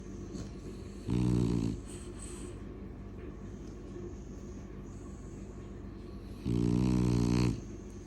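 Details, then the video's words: French Bulldogs snoring: two loud, rattling snores about a second long, separated by roughly five seconds of softer wheezy breathing and faint hissing. "Frenchies roncando"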